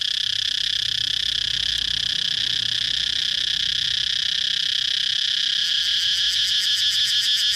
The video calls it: cicada chirping sound